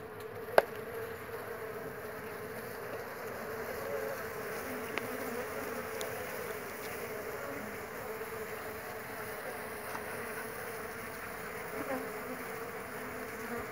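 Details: Jandaíra stingless bees, many foragers active around their colony: a steady, even, low buzzing hum throughout, with a brief click near the start.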